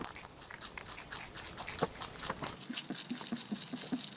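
A rabbit munching steadily, with quick crisp crunches and soft clicks repeating several times a second.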